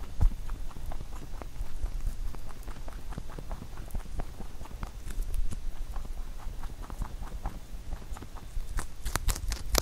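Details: Pet rabbit eating a carrot songpyeon, a rice cake shape made from carrot for the Chuseok holiday; rapid crisp crunching clicks several times a second over low soft thumps, growing louder and sharper near the end.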